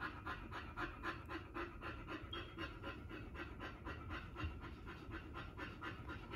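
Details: Pit Bull (Bully) female giving birth to her first litter, indoors, panting fast and steadily, about four breathy pulses a second in a regular rhythm over a low background hum.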